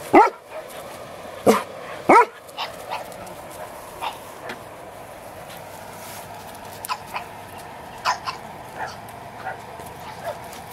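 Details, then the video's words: Elmo, a pug puppy on a farm who kept biting fingers, gives short sharp yips and squeaky whimpers: three louder ones in the first two seconds, then scattered fainter squeaks and yelps through the rest. "Elmo The Pug Pup"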